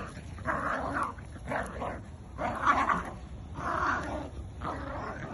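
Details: Two dogs, a Jack Russell and a Bull Terrier, growl while playing tug of war; rough, noisy growling bursts come about once a second, each lasting around half a second, with short pauses between.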